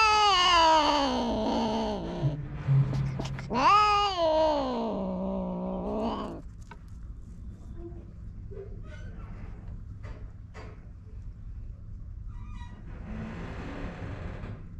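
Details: Feral cats mating on a cat island, one male approaching from behind while another is watched warily: a loud, strongly harmonic yowling wail that swoops down then rises sharply and sags again over about six seconds, followed by faint scuffling and low background hum.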